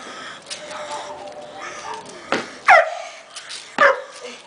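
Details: Belgian Malinois, one year old, barks twice about a second apart, each bark loud and abrupt, over a constant noisy background with faint softer sounds between.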